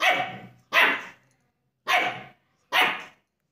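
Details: A German Shepherd puppy in India, reacting to its reflection in a mirror in a study room, gives four sharp, bright barks in an uneven series.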